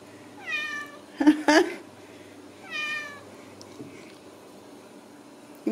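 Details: Ragdoll kittens born and raised in a home cattery in central Kansas, kept without cages: two high, clear meows with bright overtones about two and a half seconds apart, with sharp knocks and thumps between them.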